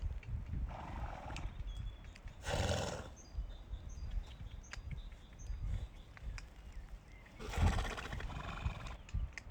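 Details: Horse giving short, breathy, broadband snorting bursts around the third and eighth seconds, with a softer mid-pitched call near the start, over a low rumbling outdoor background.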